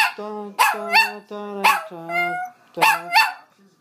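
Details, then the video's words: Chihuahua joining in as its owner sings the national anthem, matching as best it can: short, rising, yelping howls trading with a person's deep, sustained singing. "the Chihuahua Singing the National Anthem"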